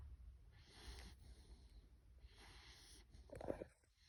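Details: Five-month-old Bulloxer puppy snoring while asleep; two soft, airy, rasping breaths roughly 1.7 seconds apart, followed by a short snort-like sound near the end.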